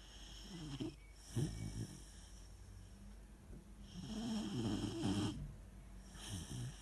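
A Weimaraner puppy snores in low, rumbling, uneven breaths.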